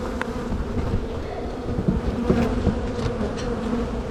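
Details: A dense colony of honey bees hums steadily as a hive is opened in spring and its brood, food and queen cells are divided between boxes. The drone is constant and midrange, with a few brief knocks.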